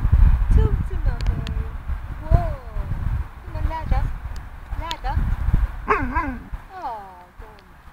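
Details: Wussy Willow, an Alaskan malamute puppy not yet 20 weeks old, told to speak, answers with short bending whines and yodel-like wails that rise and fall, growing louder near the end, while a person's voice urges her to talk.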